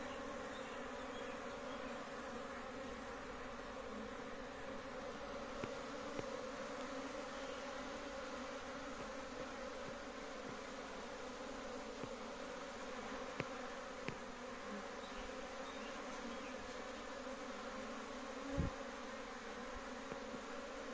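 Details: A large colony of honey bees kept at home: unbroken, mid-pitched humming drone with steady bands of tone, broken by scattered faint taps and one louder knock late on.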